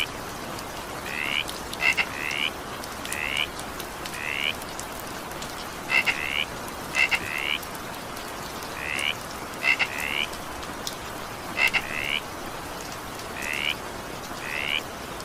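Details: Croaking frog heard through evening rain, its paired rising chirps returning every second or two, several opened by sharp double clicks, while rain patters constantly in the background.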